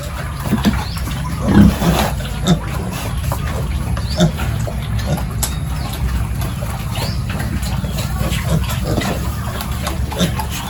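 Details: Pigs at a village farm during the morning feeding and pen cleaning routine, giving short low grunts near the start over a steady low rumble of farm noise and faint clatter.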